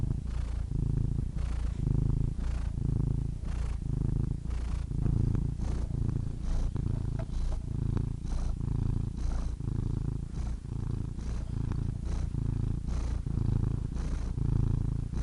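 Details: Sustained cat purring: rumbling, buzzy low vibration in a steady rhythm of breath pulses, slightly louder than before, each swell lasting under a second, no background noise.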